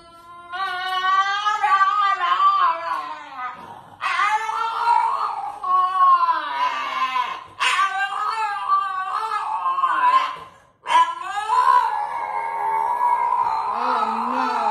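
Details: A French Bulldog screams in long, wavering, high-pitched wails, demanding to be let out of its playpen.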